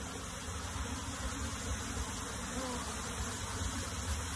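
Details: Honey bee colony being moved into a box, a dense, steady droning hum of many bees with low, rumbling energy and a faint, even hiss above, holding constant throughout.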